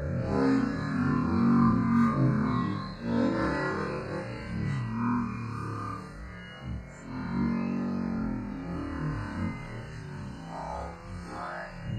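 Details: Synthesized electronic music with swelling tones and a plucked pulse plays throughout, with no animal sound.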